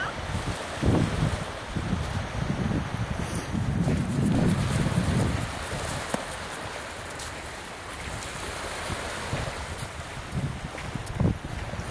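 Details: Waves breaking on a beach with steady wind buffeting the microphone, low rumbling surf swelling and fading throughout, no animal voice heard.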